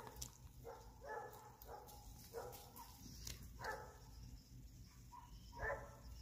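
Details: Many dogs on a mountain bark back and forth in the distance, short hoarse woofs traded every couple of seconds, including a Malinois, a Shepherd, a Doberman and a hound dog.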